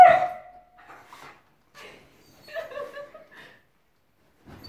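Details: Rescued four-year-old whippet Lulu in a frenzied mood, opening with a loud high whine that fades, then a run of soft broken yelps and whimpers with silent gaps between.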